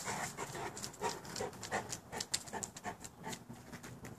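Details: Boerboel dogs panting: rapid, irregular breathy pulses, about two per second, continuing throughout.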